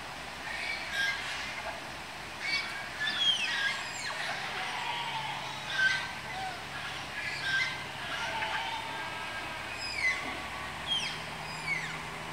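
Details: Malayan tapirs in the Malayan tapir house at Tama Zoological Park, Japan, calling during pairing; thin high squeals sweep sharply downward in irregular bursts roughly every second or two over a steady low background hum.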